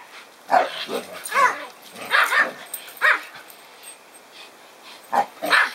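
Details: Kai Ken being ganged up on by another Kai Ken and a Pomeranian: sharp, short barks and yips in quick bursts, about seven in six seconds, with uneven gaps and some overlapping voices.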